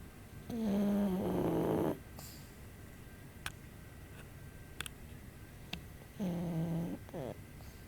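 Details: Hana, a pug, asleep indoors with her eyes rolled back to the whites, snoring softly: two droning nasal snores, one about 1.4 seconds and a shorter one near the end, with faint clicks in the quiet room between them.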